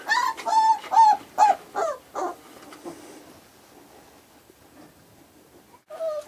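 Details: Five-week-old Australian Shepherd puppies give about five short, high, downward-bending whines in quick succession. Near silence follows, and a final squeak comes at the end.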